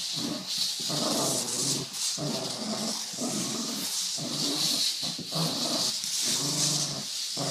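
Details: A pet dog making car-drift noises: continuous gravelly, wavering growls broken into close bursts about a second apart, layered over a persistent high-pitched hiss.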